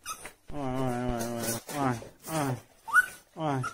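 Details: A domestic dog at home whimpering with joy as its owner returns: a series of drawn-out, wavering whines with quavering pitch, separated by short pauses, followed by higher, sharper yelps; indoor room.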